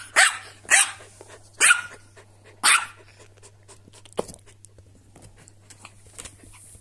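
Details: A corgi and silky terrier tussle over toys, giving four loud, sharp barks at roughly one-second intervals, then a fainter yap and quieter scuffling over a steady low hum.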